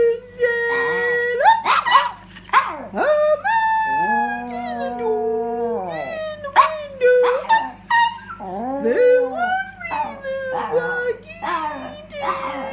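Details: Pet Yorkshire terrier, a female, singing along with its owner in a room: sustained quavering howls that slide downward, interleaved with the owner's sung phrases and short vocal bursts over about twelve seconds.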